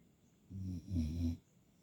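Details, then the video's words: A puppy asleep gives a single low snore of nearly a second, two rumbling pulses run together, then quiet. "puppy snores"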